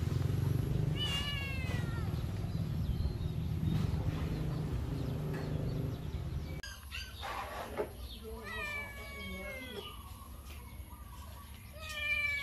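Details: Kittens meowing, a few short downward-sliding mews early, then after an abrupt cut a quicker run of clear, high, harmonic meows over a quieter background, with low rumbling noise throughout the first half.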